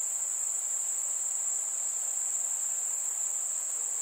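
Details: Chirping crickets on a warm summer night with fireflies, giving a continuous shrill, high whine at a constant pitch and loudness, without breaks, over a faint hiss.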